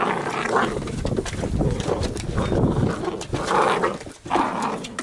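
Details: Wild, cheeky young Labrador Retriever puppies of a B litter at play: dense, rough growling and grumbling bursts, several louder surges over about five seconds, mixed with constant scuffling and rustling noise.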